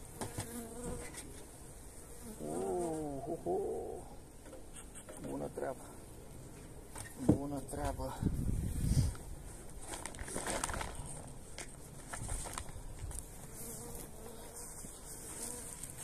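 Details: Honey bees receiving energy cakes as winter feed on 29 January, a pleasant day: a continuous low droning buzz with a brief human voice early on and scattered thumps and rustles.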